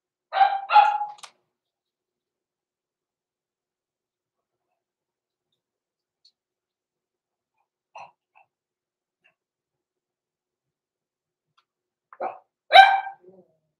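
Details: Blenheim Cavalier King Charles Spaniel puppies, six weeks old, born November 14, 2022, kept in an indoor pen overnight; two quick, sharp yappy barks, a long silence with one faint yip, then another pair of barks near the end.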